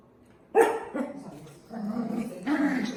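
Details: A dog gives one loud, sharp bark, then a voice talks over lower, drawn-out sounds to the end.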